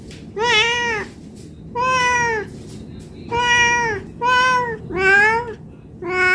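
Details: Domestic cat meowing for food because it is hungry: six loud, bright harmonic meows, some short and some drawn out, repeating about once a second over faint room hum.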